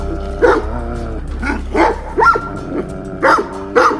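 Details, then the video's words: Livestock guardian dogs in a rank fight: the yellow dog keeps growling and seeking eye contact as a provocation, giving short, rough growls and snarls while challenging another dog over rank. "A sárga kutya folyton morog és keresi a szemkontaktust. Ez provokáció. Meg lesznek a következményei."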